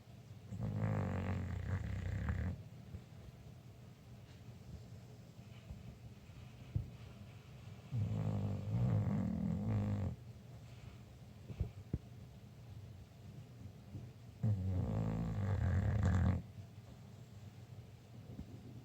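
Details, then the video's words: Snoring English Bulldog, three deep rattling snores lasting about two seconds each, spaced some six seconds apart, a low vibrating growl-like drone with hoarse overtones; faint clicks and soft breathing fill the pauses indoors. "English Bulldog snoring!"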